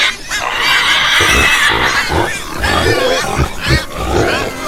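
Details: Farm pig giving a long harsh squeal at the start, followed by rhythmic low grunts and brief squeaks from other pigs.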